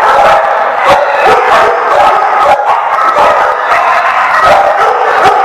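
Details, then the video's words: Chorus of dogs at The Barking Lot, 7/11/14, barks without a break. Overlapping sharp barks come roughly every half second, layered over a continuous loud background of more barking. "The Barking Lot"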